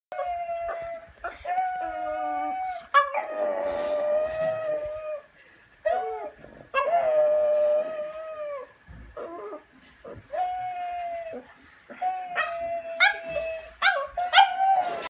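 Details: Dog singing along, howling in long sustained tonal notes that waver and slide in pitch, broken by short breaths and yips, several drawn-out howls over fifteen seconds with little other sound.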